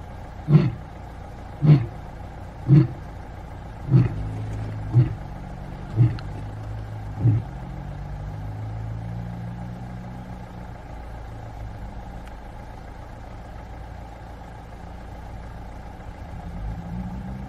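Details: Big male lion walking through the savanna of Pilanesberg National Park, South Africa: seven short, deep grunting roars about one per second, fading toward the end, over a steady low vehicle engine hum that continues afterward.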